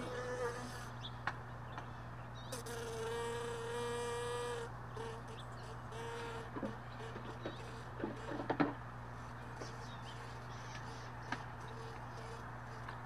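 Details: Honey bees lingering around hive boxes left all day in a truck bed, early morning while the boxes are being stored; a steady buzzing drone swells as a bee passes close for about two seconds, over a constant low hum with scattered knocks and clicks.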